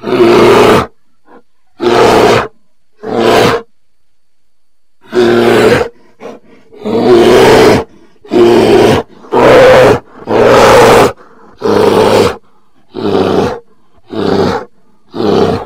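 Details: Bear roaring in loud, rough bursts, each lasting about a second and separated by silence, a dozen roars across some fifteen seconds, with no other sounds.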